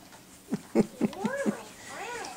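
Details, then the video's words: Two pet dogs, Sophie and Cooper, barking at each other as Sophie teaches Cooper to be a guard dog, dated 12 6 2014; five short sharp yaps in quick succession, then rising-and-falling whiny yelps, with a person talking indoors. "Cooper and Sophie barking at each other"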